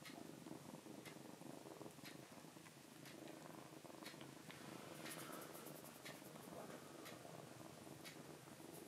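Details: Rescued foster kitten Kuromame, indoors, hiding its paw from nail clipping; a steady low rumbling purr runs throughout, with soft clicks and light handling noises on top.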